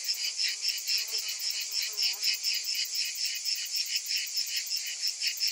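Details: Summer cicadas fill the air with a bright buzzing hiss in rhythmic pulses; faint lower chirps briefly appear underneath early on.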